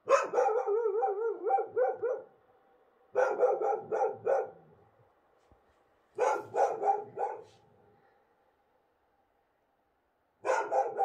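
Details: On a bright moonlit night in Morocco, free-roaming wild dogs give bursts of yelping barks mixed with wavering, howl-like tones, repeated every few seconds in regular vocal exchanges.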